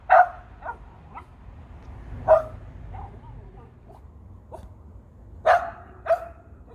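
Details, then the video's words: Pet dog barking up at a big bird in a tree: scattered single barks and softer yips at uneven intervals, with quiet gaps between them. "Dog talks to birds"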